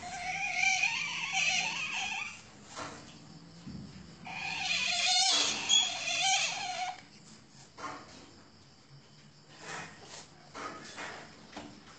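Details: Asian palm civet at a breeding farm, giving wavering, whiny calls in two long bursts with a mid-pitched warbling tone under harsh hiss, then quieter scattered squeaks and shuffling noises indoors.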